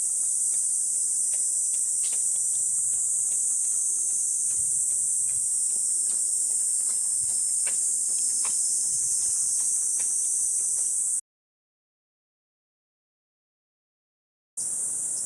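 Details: On a walking path in Gifu Prefectural Hyakunen Park, Japan, cicadas drone through a 37°C July morning. The shrill unbroken buzz carries faint ticking sounds beneath it, then cuts out for about three seconds before resuming.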